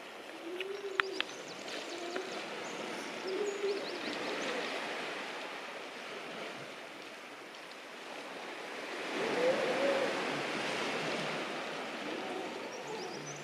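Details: Atlantic grey seals hauled out on a beach colony on a February morning: short low wailing moans rise from the group at intervals over steady rolling surf, with scattered clicks and knocks.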